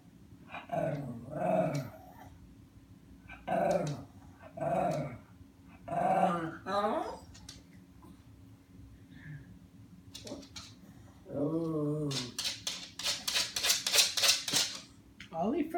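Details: Lhasa Apso indoors, frustrated at an automatic cat feeder that keeps its hopper shut against his RF tag. He gives low harmonic grumbling growls in bursts of one to two seconds, several in a row, followed by rattling and clicking noises.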